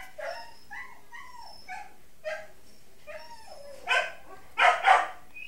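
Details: Two pet guinea pigs, Mayumi, an Abyssinian sow, and Archie, a Peruvian boar, give a rapid series of short, squeaky, whistle-like calls, several dipping in pitch, ending in louder, harsher squeals.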